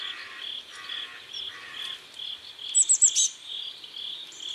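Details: Crickets chirp steadily beside a river at sunset in South Korea, with short, high, pulsed notes repeating about twice a second.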